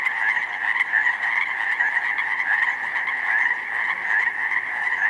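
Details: Huge chorus of Pacific chorus frogs in a snowmelt-flooded slough meadow in spring, 19 May; countless overlapping trilled croaks blend into an unbroken, pulsing wall of sound.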